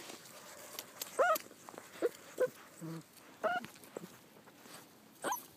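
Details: Male puppies whimpering: brief high tonal squeaks with faint overtones, a few separate bursts spread unevenly across the clip, plus a low murmur near the middle and a quiet background.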